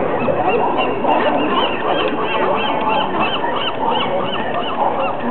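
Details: Sea lions hauled out at Pier 39 in San Francisco. A dense, continuous chorus of overlapping honking barks from many animals fills the whole stretch, with no pauses.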